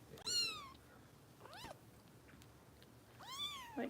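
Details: Harper, a foster kitten with Kitten Rescue volunteers in Los Angeles, bottle-fed and jiggled to burp because she swallows air, gives three high, thin mews that slide downward, the first and last long and clear, in a quiet room.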